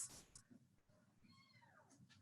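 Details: A kitten at a humane society event gives a single high, arched, sassy meow that rises then falls, with faint room noise around it.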